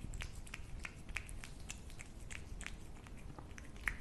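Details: Close chewing from a feeding cat, with distinct crisp bites and wet smacks a few times each second, then a louder click near the end.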